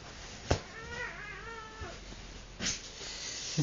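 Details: Domestic cat in a wild play mood, giving a faint, wavering meow of about one second, partly masked by indoor thumps, clicks and rustling.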